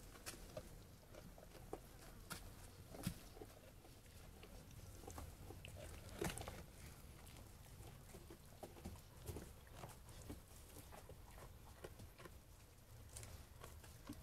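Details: Sheep eating food: soft, crunchy chewing and nibbling clicks sound irregularly throughout, with a few louder snaps near three and six seconds over a low rumbling background.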